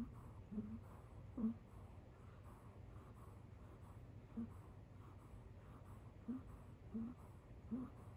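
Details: Kit Teas Chai the kitten, sleeping on a couch, gives a little donkey-like 'eeyore' snore: soft, scattered squeaky breaths come at uneven gaps over a low, steady indoor hum.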